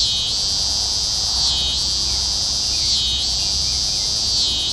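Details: Scissor-grinder cicada (Neotibicen pruinosus) sings a loud, high, continuous buzz that swells and dips about every second and a half, at night on June 15, 2010 in Carey Park, the year's first cicadas heard.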